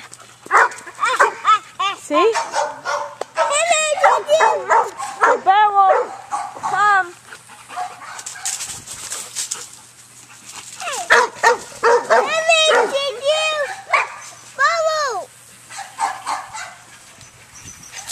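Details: Beowulf, a Shepherd dog up for adoption, whines eagerly for a toy to be thrown: bursts of high, arching yelps and whimpers rise and fall in quick runs, with pauses between, while a person talks over them.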